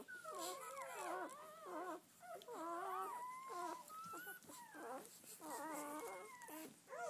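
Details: Newborn-litter Doberman Pinscher puppies, red-rust coloured, seven girls and four boys, on their first day outside: clear drawn-out whines sliding up and down in pitch, in bursts about a second long with short gaps between.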